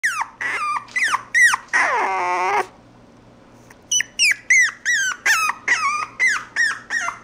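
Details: Mixed-breed puppy whimpering indoors: a rapid run of high, bending squeaky whines, each falling at its tail, with one longer drawn-out whine before a brief pause, then more short whimpers in quick succession.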